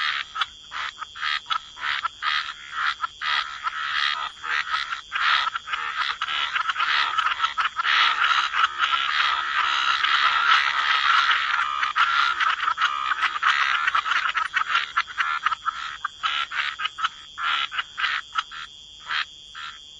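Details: Gentle chorus of croaking frogs in wetlands, quick pulsed croaks thickening into a continuous swell mid-way and then breaking back into separate bursts, a steady high hum present throughout.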